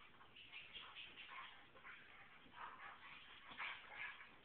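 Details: Alaskan Klee Kai mother, upset that her daughter puppy's smell was washed away, playing with the puppy while the father walks in and out. High, quiet whining and yipping comes in repeated short bursts, with a person's voice faintly present.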